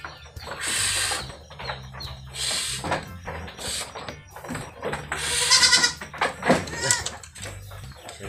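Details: Anglo-Nubian goats at a goat farm during milking time, with several short wavering bleats rising out of a constant clatter and hum of farm noise, and Spanish speech in the background.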